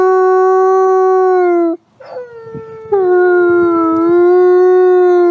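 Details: A captive-born ambassador gray wolf at the Wolf Conservation Center in South Salem, New York, gives a long, steady, mellow howl, pauses briefly, then howls again.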